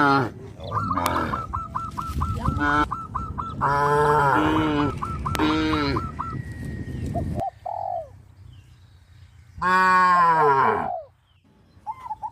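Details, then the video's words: Tame cows crowding a field and leaping about for joy give several deep, harmonic moos, some overlapping, over a steady low rumble, with a run of sharp repeated chirps from birds early on. "sound of cows"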